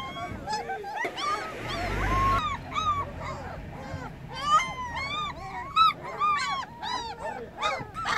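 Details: Newly open-eyed puppies cry for their mother while she is away: a dense chorus of short, arched, squeaky yelps and whimpers overlapping continuously, with a brief low thump near the start.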